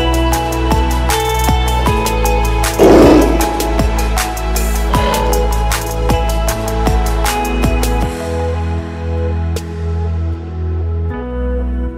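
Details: Loud electronic music with a heavy bass line and steady drum beats throughout, with no animal voices.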